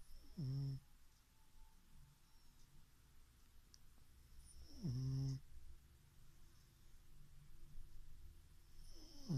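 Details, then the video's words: Asleep pug named Chichifo snores in three short, deep, rattling bursts spaced about four seconds apart, with soft breathing hiss between them and a quiet indoor background. "Chichifo roncando pug"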